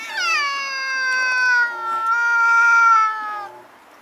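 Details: Nightly battle between two stray cats that often visit a house, captured with a Nikon Coolpix S01. A long, sustained wail lasting over three seconds holds a fairly steady pitch with a brief dip midway, then fades out.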